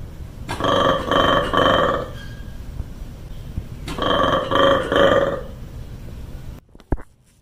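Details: Monkey giving two loud bouts of rapid, pulsing, harsh grunt-like calls, each lasting about one and a half seconds, separated by a quieter pause, before an abrupt cut to near silence.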